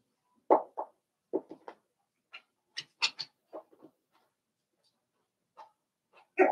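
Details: Daisy's Cavalier King Charles Spaniel puppies, seven weeks old, in a home puppy pen; sparse short yelps and whimpers, some low and some high and thin, with quiet gaps between and a louder burst at the end.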